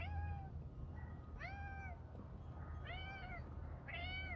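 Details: Domestic cat meowing outdoors in windy weather on 19 January 2023, around dusk as the birds get ready for bed; four drawn-out, arching meows spaced roughly every second and a half over a steady low wind rumble.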